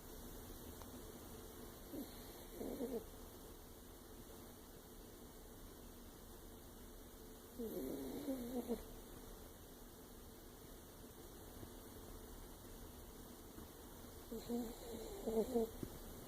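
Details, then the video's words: Lexi, an older chihuahua, snoring while asleep: three soft, short nasal snores spaced several seconds apart over a faint steady background hum. "Our older chihuahua Lexi snoring"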